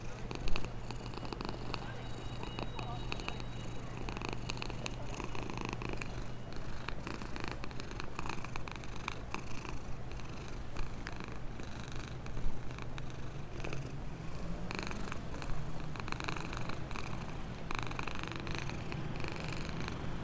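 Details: Contented black stray cat, housed in a box near a store and being fed, purrs in a low, even, continuous rumble, with small clicks and faint rustling over it.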